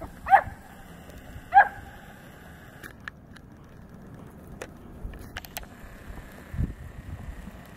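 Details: Dogs named Ruger and Missy, a Newfoundland and a Great Pyrenees, playing together; two short barks near the start, then quiet rustling and faint knocks.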